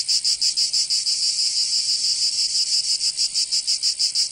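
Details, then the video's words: Summer chorus of cicadas in Provence, in the south of France, a shrill high buzzing throb with quick even pulses, briefly blurring into a continuous hiss midway before the beat returns. "Canto Cigarra 🦗 [ Escuchar les cigarras en verano"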